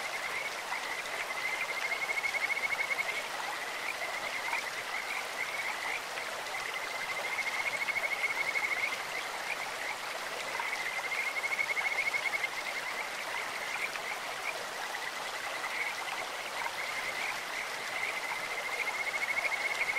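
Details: Stream-dwelling Kajika frogs singing, their calls sounding like a bird or insect: four or five high, pulsed trill bouts, each lasting a couple of seconds, recur every few seconds against constant splashing stream noise.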